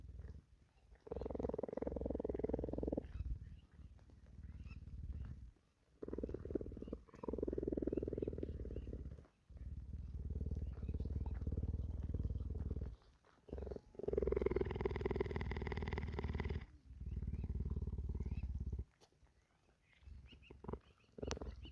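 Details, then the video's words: Cheetah purring during rainy-day grooming at a sanctuary; long stretches of deep, throbbing purr alternate with short pauses, one louder, brighter purr phrase near the middle, soft licking in between. "Sounds of the "purring" rain"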